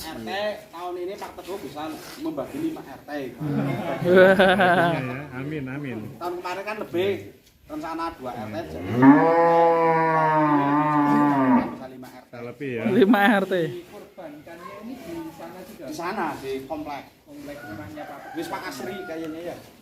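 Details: Huge, fat cattle kept long inside its pen, giving a drawn-out, deep, harmonic-rich moo of about three seconds in the middle, with a shorter lowing burst after it. Men talk over much of the recording.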